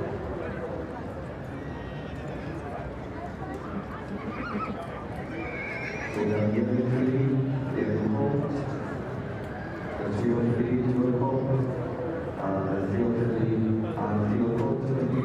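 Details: Welsh Cob stallion in a 4-7 class, giving loud, strongly harmonic whinnies that swell out of a busy background from about six seconds and again near ten, with hoof clip-clop and human voices around.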